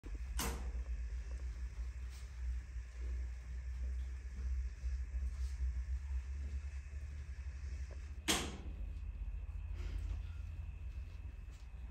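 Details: A steady low hum fills a quiet room, broken by two sharp knocks like a cupboard or door closing, with no animal voice heard.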